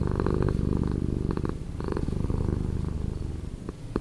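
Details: Domestic cat purring, slowed down in editing: a continuous low rumbling throb with dense pulsing and brief brighter bursts of texture, steady throughout.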